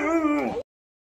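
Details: A 10-month-old, vocal Siberian Husky puppy at an animal shelter "sings" a brief, steady, tuneful howl that bends downward as it ends.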